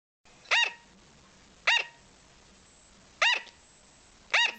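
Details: A pet sugar glider gives short, sharp, yappy barks about every second, the nightly 2 a.m. call that makes its cage-mates freeze and look, possibly a plea for attention or treats.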